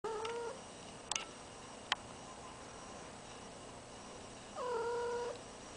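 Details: Domestic cat in heat calling indoors, with a deaf ferret fond of her nearby: two short, harmonic, drawn-out meowing yowls, one at the start and one near the end. A couple of sharp clicks fall between them in an otherwise quiet room.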